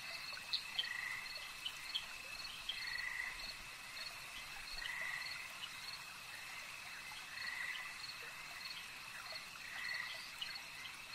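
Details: Frogs at a lake at night calling in short, rough croaking bursts that recur roughly every two seconds, set against a steady high-pitched insect trill and quick ticking chirps.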